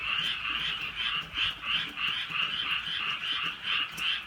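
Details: Croaking frogs on a drizzly rural night, rhythmic nasal pulses swelling and fading about three times each second in a thick chorus.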